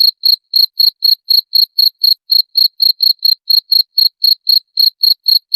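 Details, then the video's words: {'text': 'Shrill cricket chirps, offered as a rat deterrent, follow one another briskly at about four a second, high and crisp, with nothing else audible.'} "SUARA JANGKRIK PENGUSIR TIKUS"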